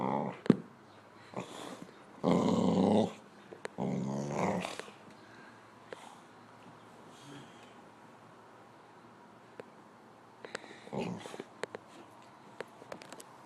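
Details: Pet dog "talking" to its owner indoors with growly, grumbling vocalisations: two sustained rough bursts early on, each under a second, a brief grumble later, and a woman's voice speaking to it between calls.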